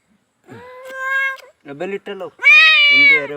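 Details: Cat with a fish bone stuck in its mouth, which is being removed without surgery, gives a drawn-out tonal meow, then a louder, higher wailing meow, with a person's voice talking between and over the calls.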